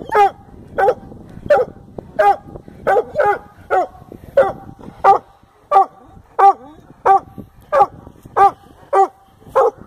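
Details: Redbone Coonhound treeing a fox squirrel, barking steadily with loud harsh barks repeated about every two-thirds of a second.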